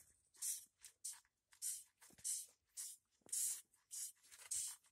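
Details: A Madagascar hissing cockroach hisses repeatedly, each sharp airy burst about half a second long, while being fed to a Cape monitor lizard.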